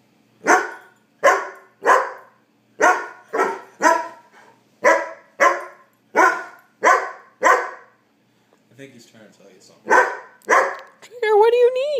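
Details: Puppy dog named Trigger adamantly asking for dinner with a rapid series of about a dozen sharp barks, roughly two per second, then a short pause, a few more barks and a rising whine-like yelp at the end.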